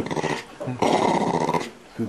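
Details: Indoors, a female West Highland White Terrier growls with pleasure during a tummy rub; a short rough grumble, a pause, then a longer, louder rasping growl that fades out.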